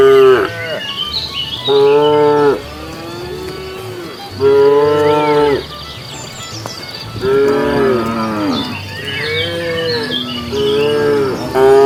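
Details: Cows wandering along a road looking for food give long, loud, harmonic moos one after another, some rising and wavering.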